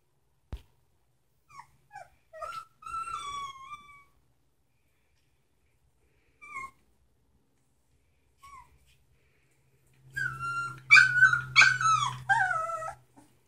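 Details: Samoyed puppies, three weeks old, born to Sitka and Izzi: scattered thin whining squeals with falling pitch, then a rapid burst of overlapping high yelps and whimpers near the end over a low hum.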